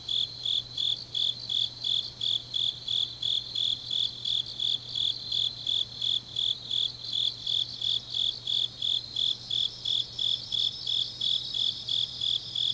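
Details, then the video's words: On a deep autumn night in Changnyeong, Korea, grass insects keep up an even pulse of shrill chirps, near three per second, while a denser trilling layer swells above them toward the end; a low hum runs throughout. "깊은밤 가을 풀벌레 소리"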